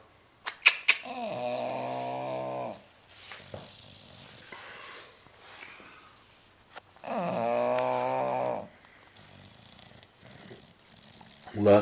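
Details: Lucky, a 10-year-old bulldog sleeping indoors, snoring loudly enough to sometimes wake himself. Two long, rasping, droning snores, each lasting about two seconds, are separated by quieter breathing, with a few clicks and a person calling his name.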